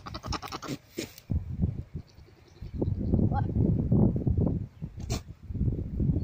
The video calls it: Goat Noises - Goat sounds [Mating call]